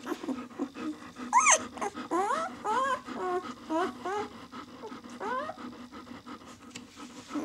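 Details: Whimpering from six-day-old White German Shepherd pups of the "of White Night" B litter, a series of short upward-sweeping squeaks and thin whines, one sharp high cry near the start, softer calls trailing off.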